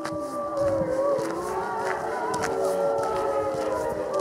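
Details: Several wolves howl together under a full moon at the Colorado Wolf & Wildlife Center feeding tour, November 17th 2013. Overlapping wavering tones of different pitches form a continuous chorus.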